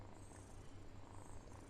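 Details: Purring pet cat, questioned about its biting, makes a gentle deep vibrating hum that swells slightly in rhythmic pulses, close and quiet.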